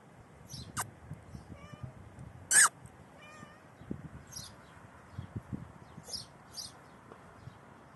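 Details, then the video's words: Domestic cat about four hours before giving birth, giving two soft, short tonal meows with light rustling, sharp clicks and faint hissy scratching around them. "The cat 4 hours before birth makes a sound"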